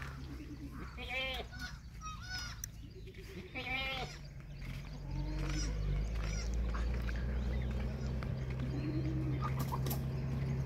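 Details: Red nanny goat that unexpectedly gave birth to two kids: several short quavering bleats in the first four seconds, then a steady low rumbling hum with faint background noise.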